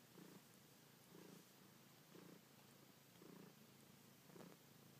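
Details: Annie, a pet cat, purring while kneading and sucking on a blanket; soft rhythmic purr pulses swell about once a second, five in a row, over a quiet hiss.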